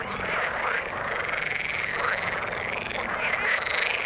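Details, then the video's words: Frogs calling in the water, a dense continuous chorus of overlapping croaks and trills filling the mid range, with a steady wash of sound and no clear gaps. "Frog sound in the water"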